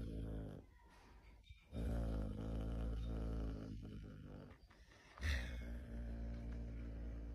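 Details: A caracal gives a deep, rumbling growl with a sudden hissing spit, warning others away from its mate.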